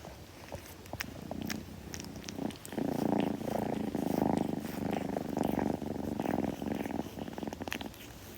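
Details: A kitten purring up close indoors, a steady low throbbing rumble that swells from about two and a half seconds onward and holds, with light licking and clicking grooming noises scattered over it.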